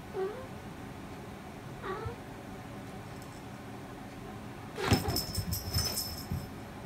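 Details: Domestic cat Boss-kun, a talkative cat with a distinctive voice, gives two short, rising meows, one at the start and one near two seconds, then bright metallic jingling and rattling fills the last two seconds.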